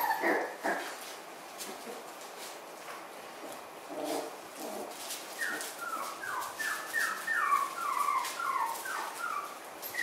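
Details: Puppies from three litters kept together like a puppy camp, possibly Miniature Schnauzers; brief yips open the recording, then from midway a run of high, falling whimpers repeats quickly, about two per second, over soft background noise.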